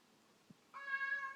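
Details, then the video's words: Indoor kitty pleading to go out: one brief flat meow lasting about two thirds of a second, preceded by a soft low thump. "Kitty wants out"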